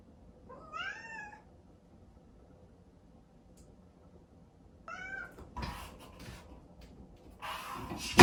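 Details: Crying Exotic Shorthair kitten shut in its own room at dawn, calling for its owner: two rising-then-falling meows several seconds apart, followed by scratching and knocking noises near a door.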